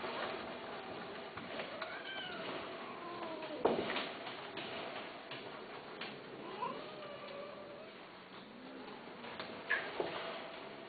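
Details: A domestic cat makes several soft, short meows, each slightly bending in pitch and spaced a few seconds apart, against a muffled room background with a few sharp knocks.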